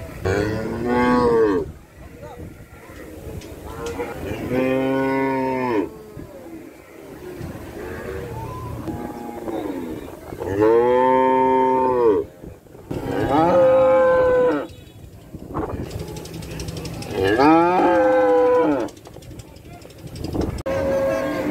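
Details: Cow mooing repeatedly, about six long moos spaced a few seconds apart. Each is a deep, full call that swells and fades, with quieter background noise in the pauses.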